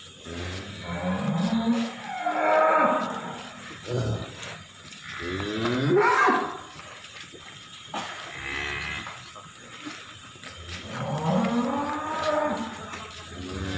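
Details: Jumbo cattle (sapi) on the road to a new owner in East Java, Indonesia, giving four long, loud moos, each rising then falling with rich harmonics, spaced about three seconds apart, with background hum.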